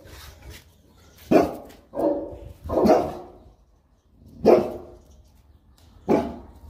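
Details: Two Boerboels (South African Mastiffs), a male and female pair living in Egypt, barking while playing; deep, short barks in an uneven series of five over about five seconds, with quiet gaps between.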